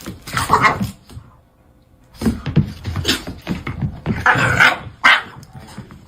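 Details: Pet dog in a funny home compilation giving several short, sharp barks in irregular bursts separated by pauses, with people talking over and between the barks.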